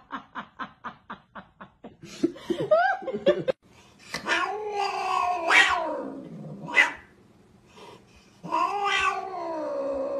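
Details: Domestic cat in a funny compilation caterwauling: long, wavering wails that rise and fall in pitch, some drawn out over seconds, after a quick run of sharp tapping clicks, with laughter in the background.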